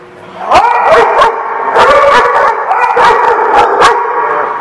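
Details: Dogs barking together in a loud, dense chorus: sharp overlapping barks and yips rise after a quiet start, with sustained tonal howl-like cries running beneath them.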